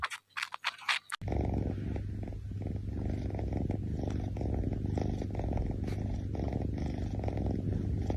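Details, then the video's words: Kitten snoring while drinking milk: a steady, low, rumbling, finely pulsed sound, continuous after a brief opening of other noise. "Kitten snoring! Drinking milk!"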